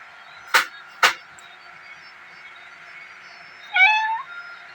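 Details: Pet cat called Bheemo, just scolded for biting a leg, gives one short, bright meow with stacked harmonics near the end, preceded by two sharp clicks about half a second apart over a faint steady hum.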